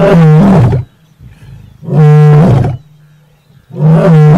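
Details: Lion of the Masai Mara, from a mating pair, giving three loud, harsh, deep roars, each under a second long and spaced about two seconds apart, with a low rumble between them.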